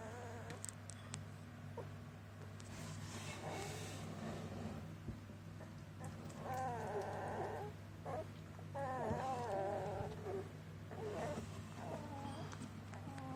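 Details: Border Collie puppies from Maya's litter give wavering, high whimpering squeals in overlapping bursts, clustered around mid-clip and later, over a steady low electrical hum and faint rustling.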